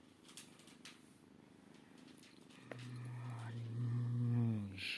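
A Maine Coon kitten purrs with a low, steady rumble, then a drawn-out tonal voice swells over it.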